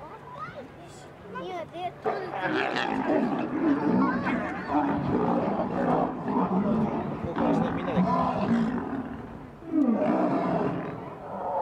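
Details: Lions (Panthera leo) fight over females at a zoo, with harsh roaring snarls and deep growls rising and falling in rapid bursts, while human voices chatter underneath.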